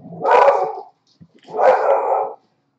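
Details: A Corgi barking in the background of a live 3D sculpting stream: two loud, harsh barks about a second apart, the second one longer and drawn out, with near silence between them and no other sounds.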